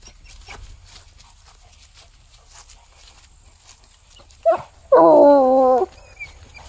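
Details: A Bluetick Coonhound, having picked up a scent on a walk and tracked it to a tree in the woods, gives a short yelp, then a long, drawn-out, wavering bay.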